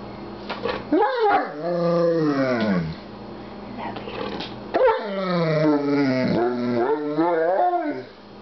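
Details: Pet dog "talking" to its owner indoors: long, wavering, howl-like moans that rise and fall in pitch, in two drawn-out bouts separated by a short pause, with the owner speaking softly in between.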